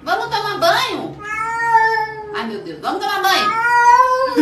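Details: Cat calling in long, wavering meows and yowls, one after another with little pause, rising then held and falling, loud and insistent throughout.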